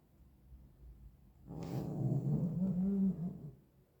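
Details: Domestic cat, one of a pair of twins, making odd low growling, rumbling sounds while playing with a toy mouse; a steady throaty murmur lasting about two seconds after a soft thump, no other clear sounds.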